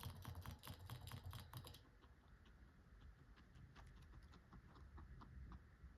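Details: Guinea pig eating pellets on December 17, 2024: rapid, crisp crunching bites repeated about twice a second, louder and denser in the first two seconds, then softer steady chewing with low rumbling background.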